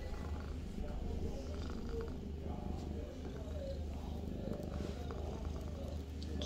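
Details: Avi the cat purring in a bathroom, a steady low rumbling throb running unbroken through the whole stretch, with faint soft rustles and small clicks above it.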